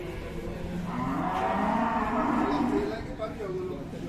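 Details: Moo from an aggressive cow arriving at a cattle farm in Indonesia: one long, full-bodied bellow that swells and slowly rises before fading, with faint voices in the background.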